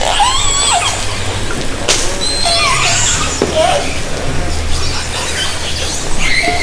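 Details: Underwater orca vocalisations from Haro Strait in summer 2010, recorded from a kayak with a hydrophone: scattered short squeals and upswept whistles, sharp click-like bursts, and a low droning hum.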